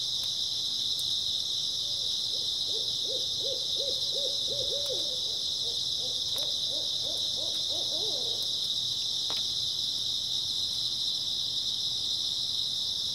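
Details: Grass insects on an early autumn night: a dense, steady, high-pitched chirring chorus runs unbroken throughout, while a rapid series of low owl hoots sounds twice in the middle, around three to eight seconds in.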